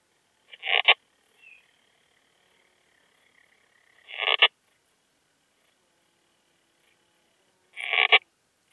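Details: Poecilimon gracilis, the slender bright bush-cricket, recorded in Hajnzgraben, Austria, 19 August 2021: three short rasping chirps, each swelling to a sudden stop, spaced about three and a half seconds apart over quiet background.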